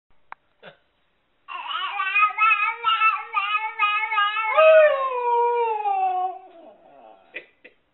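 A Siberian Husky gives a long, wavering, yodel-like vocal run, imitating a baby's babbling.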